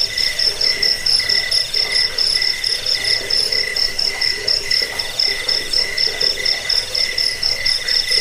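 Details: Cricket song used to repel rats, ease sleeplessness and tutor songbirds: rapid, bright pulsed chirps, about four per second, ringing over a continuous high trill in layered tones.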